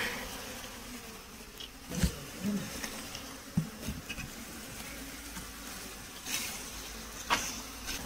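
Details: Honey bees at a beekeeping site, giving a steady low droning hum throughout, broken by several sharp clicks and knocks from handling.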